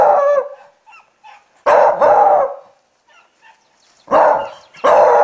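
A beagle gives loud, throaty barks, several drawn out into short baying notes.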